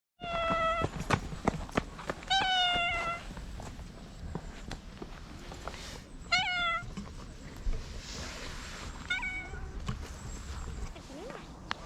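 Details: Domestic cats, including a black cat, an "idol" cat and an orange tabby, meowing: clear harmonic meows near 0.7 s, 2.5 s, 6.5 s and 9.3 s, each with a falling tail, over low rumbling outdoor background noise.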